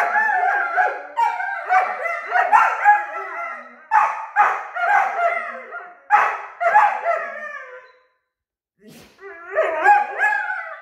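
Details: Two 9-month-old Weimaraner puppies squabble noisily, trading squealing, whining yelps and grumbles in a back-and-forth argument over something unknown.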